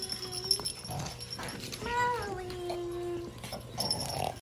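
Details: A female micro teacup silver poodle puppy gives one whimper indoors, rising briefly and then holding a long, steady, lower whine for over a second, with soft rustling and a low hum around it.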